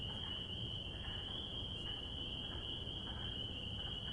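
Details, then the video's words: Chorus of spring peepers in spring, many high piping calls merging into an unbroken shrill whine, over a steady low rumble with a few faint lower notes scattered through. "Peeper Sound Effects - Relaxing Sounds of Spring Peepers!"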